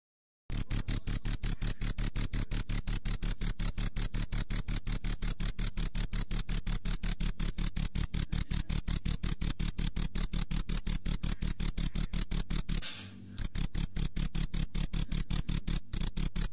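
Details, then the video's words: Male cricket (jhingur) at night, wings rubbed rapidly together to attract females: a loud, shrill high-pitched chirping pulsed steadily about three times a second, with one short break near the end. "Crickets Sound Natural Sound ( Jhingur)"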